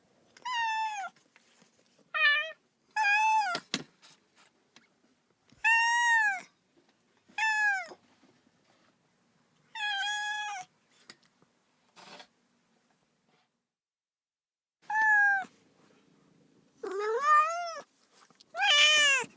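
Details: Lonely baby cat calling for its mother with repeated clear meows, arched and tonal, some short and some drawn out, coming in irregular bursts with brief silent gaps and a faint knock between calls.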